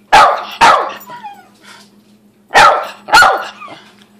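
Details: Thirteen-year-old female Cairn Terrier barking excitedly at six in the morning for no apparent reason; four sharp, loud barks in two pairs about half a second apart, with a two-second gap between the pairs, over a faint steady low hum.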